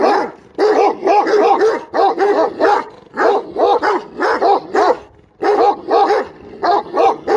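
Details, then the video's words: A dog barks rapidly in clusters of two to four sharp barks, each bark with a rising-then-falling tone, with short pauses between the runs over about seven seconds. "صوت الكلب"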